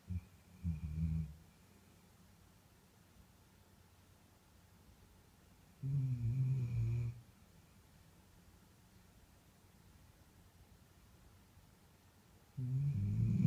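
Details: A Bull Terrier sleeping deeply snores in low, rumbling bursts spaced several seconds apart.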